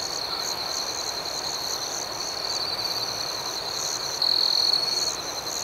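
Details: Outdoors at night, crickets produce a continuous thin, high trill with rhythmic chirps pulsing above it; near the end one trill swells louder for about a second.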